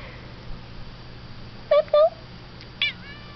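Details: House cat utters two short clipped meows in quick succession, then a higher brief chirp, over low indoor hum.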